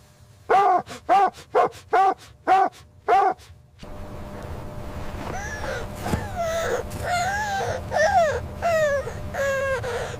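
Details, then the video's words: Puppies playing with their mother dog on fresh snowy ground in winter: a quick run of six sharp, evenly spaced barks, then a noisier stretch of rising and falling whines and yips over a steady background hum. "Dog barking sounds"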